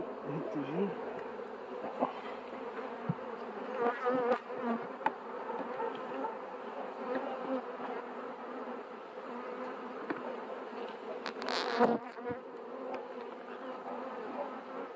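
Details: Honey bees humming steadily in a thick, even drone, with short swelling buzzes and a loud rustling burst near the end.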